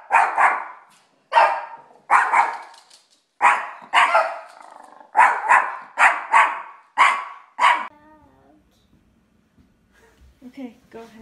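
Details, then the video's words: A scared dog barking sharply, about nine loud barks in quick succession, some doubled, over roughly eight seconds, then falling quiet apart from faint soft whimpering sounds. "FUNNY Dogs Scared"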